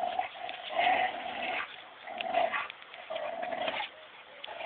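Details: Two dogs, a Belgian Shepherd and a female Labrador Collie cross, playing tug of war indoors, the cross making most of the noise: rough, nasal growls in bursts of about a second, repeated several times.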